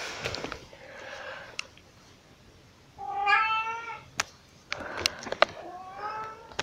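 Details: Pixie, a very vocal pet cat, meows while carrying cat toys around: a long harmonic meow near the start, then a loud, clear rising-and-falling meow around three seconds, followed by several shorter meows among clicks and knocks.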